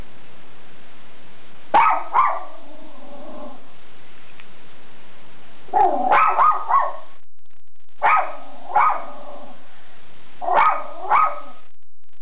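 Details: Schipperke named Captain Jack Sparrow guarding the house, giving sharp, harmonic-rich barks in short doubled or tripled bursts, four bouts across about twelve seconds with quiet pauses between them.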